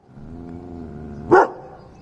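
A German Shepherd gives one sharp, loud bark on command after a low, steady hum.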